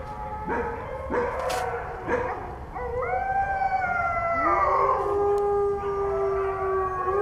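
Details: Short sharp yips open the passage, then wolves slide into long howls, one voice climbing high and others settling into lower steady tones, over a faint background hiss.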